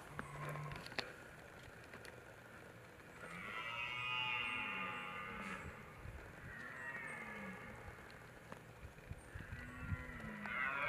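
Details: Red deer stag during the rut giving three long, drawn-out, harmonic roars, each lasting about two seconds, with a low buzzy fundamental and rich overtones, separated by short pauses over faint background rustle.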